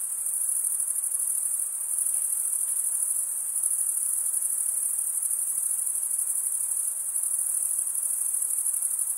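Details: Male crickets chirping through stridulation, wing scraped against toothed wing, produce a piercing, seamless high trill that holds constant, faintly throbbing, with no other animals or noises evident.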